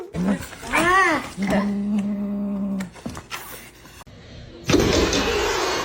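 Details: Domestic cat giving an arched, rising-then-falling meow, followed by a steady flat tone and a burst of noise at the end.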